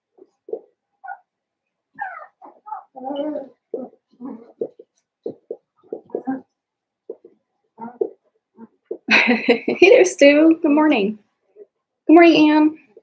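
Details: Blenheim Cavalier King Charles Spaniel puppies, seven weeks old, a litter of five in an indoor puppy pen; scattered soft yips and squeaks, then loud, drawn-out harmonic whining cries in two bursts near the end.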